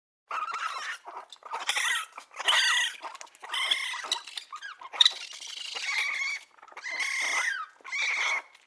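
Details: Baby raccoon giving a series of high, harmonic squealing whines, each about half a second to a second long with short gaps, some bending downward at the end, mixed with soft breathy chitters; no other sounds.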